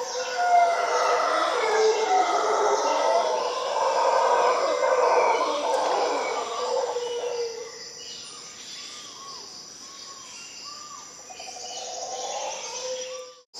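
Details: Costa Rican howler monkeys, a treeful of them, give a thick, rolling roar for the first seven seconds, then fall quiet. Scattered bird whistles and steady insect buzz follow.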